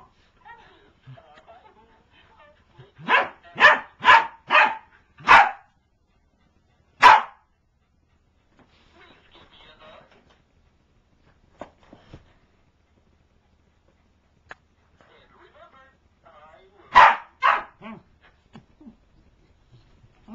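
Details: Corgi at home going after her toy, giving sharp, loud barks in a rapid burst of four, then single barks, silence, and another quick cluster of barks near the end.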